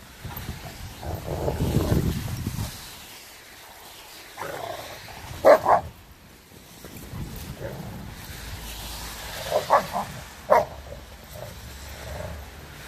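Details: Adult Renaissance Bulldogges correcting the 10-month-old pup Rekkr for rough play: a low rumbling growl at the start, then scattered sharp barks at irregular intervals amid scuffling.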